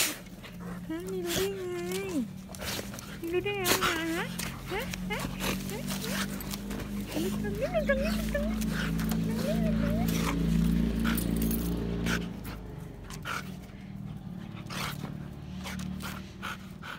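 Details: Male pet husky in Nonthaburi, central Thailand, excited on seeing his neighbour at the garden fence; wavering whines and howl-like yowls rising and falling, mixed with a man's Thai speech and laughter, a low steady hum underneath.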